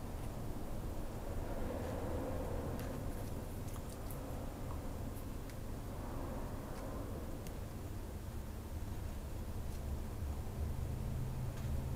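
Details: Dense broadband rumble like a running vehicle or machine fills the whole stretch, swelling slightly at times, with a few faint ticks and no animal calls.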